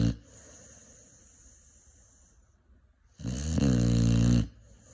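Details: Five-month-old Cane Corso puppy in deep sleep: soft breathing for about three seconds, then one long, coarse, rattling snore.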